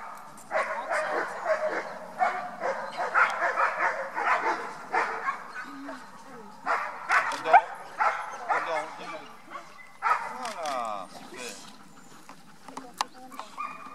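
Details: Female Beauceron, Oz du Fond des Camps, aged four, at an educational dog meeting: a run of quick, irregular barks, thinning out later, mixed with conversation from people around.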